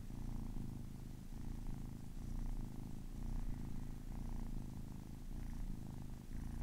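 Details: Purring of a kitten aged ten weeks, a continuous low throaty rumble with faint rhythmic breaths swelling and easing every second or so, quiet room.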